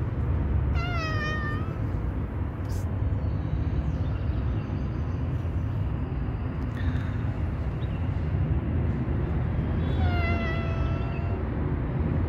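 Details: Tuxedo mother cat, worried about her kitten while a tabby cat lurks nearby, gives two drawn-out meows that fall in pitch, one near the start and one near the end, over a steady low rumble of traffic.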